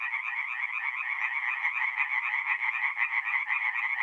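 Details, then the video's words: Night chorus of tree frogs at a forest pond in north-east Italy, mid-April: harsh, quickly repeated croaks blend into an unbroken, buzzing rattle. No wind, water or human sounds are present. "relaxing forest pond by night with singing tree frogs"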